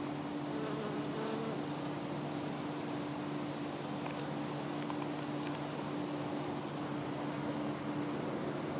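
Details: Western honey bees (Apis mellifera) swarm a flowering showy hebe bush (Hebe speciosa) covered in blooms; a dense, steady droning buzz fills the recording, with a constant low hum running beneath it.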